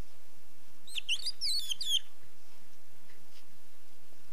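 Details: Hoglet, a baby hedgehog, screaming for its mother: a single burst of about one second of thin, high, chirping squeaks that twist up and down in quick succession, then silence.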